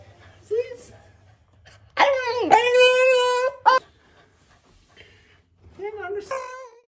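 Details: French bulldog puppy named Frenchheimer, playing with grill tongs and making monkey-like noises: a long, high, wavering whine lasting over a second, then shorter whimpers, with a person speaking nearby indoors.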